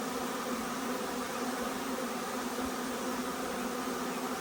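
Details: Honey bee swarm arriving in force: continuous thick buzzing of many bees, layered hum bands in the low-middle range, unbroken for the whole stretch with faint low thumps.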